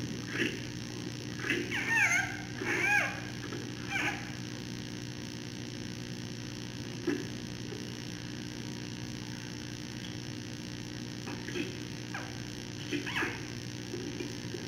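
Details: Captive giant panda cub in its mother's arms, evening around 9:30 pm, throwing a small tantrum after nursing; a few squealing, wavering cries early on, then quieter grunts, over steady mechanical hum.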